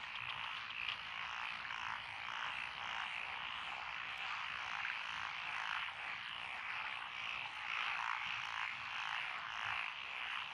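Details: Lotus rice paddies along a country lane in Echizen, Fukui, Japan, 12 June 2021, full of frogs croaking together; an unbroken, rattling chorus with gentle surges in volume throughout.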